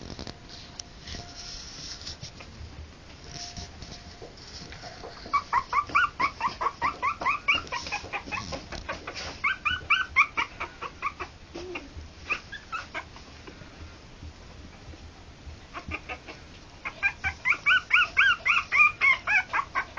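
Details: Three-week-old harlequin poodle puppies squeal in long, insistent runs of evenly spaced, nasal, harmonic cries, about two per second, with quieter gaps between the runs and a steady hiss underneath.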